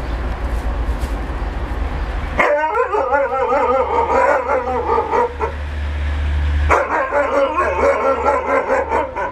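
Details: A Siberian Husky 'talks' to an Alaskan Malamute, scolding it for not playing, in wavering, yodelling moans that rise and fall in pitch.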